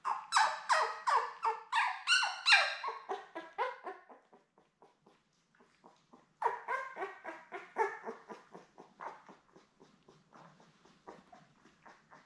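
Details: Labrador Retriever litter of seven, born May 24, 2021, with their mother Belle, on an indoor puppy cam in June: loud, rapid, squeaky yelping cries in two bursts, each fading into quieter, scattered whimpers.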